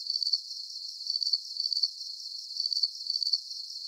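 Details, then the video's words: Soothing sleep-aid recording of crickets. Sharp, high trilled chirps arrive in small groups separated by brief pauses, with a constant faint ringing beneath. No other sounds. "Calming Cricket Sounds"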